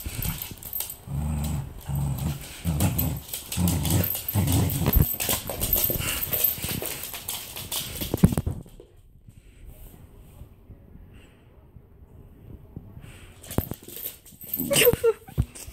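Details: A Pembroke Welsh Corgi named Hermes goes after his favorite mouse toy. Deep growl bursts repeat for about five seconds, then rough scuffling and clattering follow, and a quieter stretch ends with more rustling.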